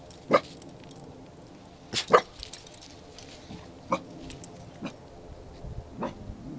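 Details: Eight-month-old male dog, possibly a Beagle and Jack Russell Terrier mix, defending his property with deep, single barks spaced one to two seconds apart, each short and loud, with a low hum in the background.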